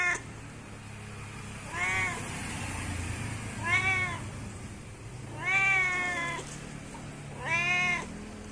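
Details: Cat meowing to call its friends: four clear arched meows at roughly two-second intervals, the third longest, over a steady low background rumble.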